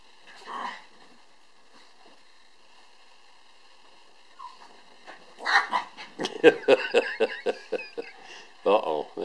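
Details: Cairn Terriers Bonnie and her sister Zoey playing soccer indoors: a burst of short, rapid yips and grunts, about four per second, late in the clip, with a person talking before it.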